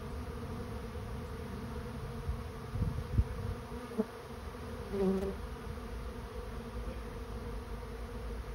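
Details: Honey bee swarm moving into a swarm trap: a dense, steady low droning hum of many bees, with a few soft knocks and clicks around the middle.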